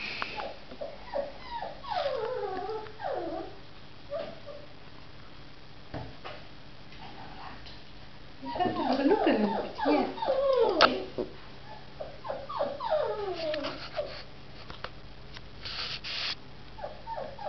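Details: Samoyed pups giving bursts of wavering, downward-sliding whines and howls, with several voices overlapping, loudest in the middle, separated by quiet gaps with faint room noise.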